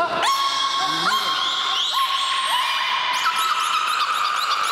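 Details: Several belugas at Port of Nagoya Public Aquarium all start calling at once, a loud, dense chorus of whistles, squeals and rising chirps.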